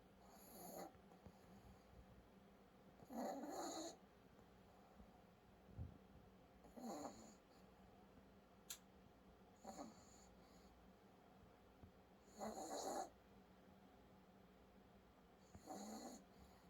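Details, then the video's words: A pet dog snoring; breathy, rasping snores in regular bursts about every three seconds, some louder and longer, with quiet pauses between. "코골이 소리"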